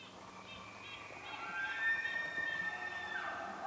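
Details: Elk bulls bugling in northern New Mexico: long, high, whistled tones that hold and waver, with overlapping calls from more than one bull.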